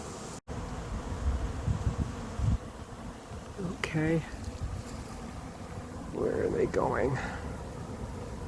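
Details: Late-season honey bee swarm moving into an empty, unprepared hive in 2021: a steady low humming drone of many bees, with brief human voice and vocal sounds rising over it around the middle and near the end.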